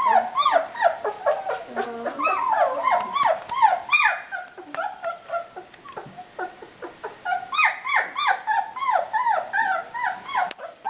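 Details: Puppies at three weeks old crying together indoors, a busy stream of short falling whimpers and squeals from several pups, overlapping and irregular throughout, with occasional clicks.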